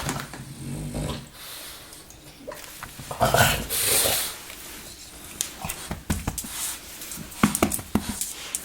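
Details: Baboo, a French bulldog napping indoors and slow to wake, snores: rough, noisy breathing bursts, one long rasping exhale in the middle, then a run of soft clicks and snuffles.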